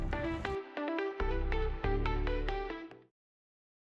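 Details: A short bright electronic jingle of plucked, chime-like notes that stops after three seconds, followed by silence; no animal sound.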